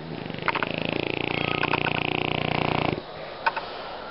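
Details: A French Bulldog snores with a fast, rattling flutter lasting nearly three seconds.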